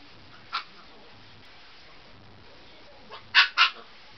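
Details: Siberian Husky puppy playing on a bed before bedtime: one faint yip early, then a quick pair of sharp, high barks near the end, with a quiet room hiss in between.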